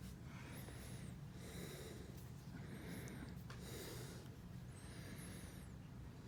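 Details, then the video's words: Cat making pig-like noises while getting a trim: breathy, rasping snorts in bursts about a second apart, with thin squeaky whines riding high above, indoors over a low steady hum. "the cat makes a pig noise"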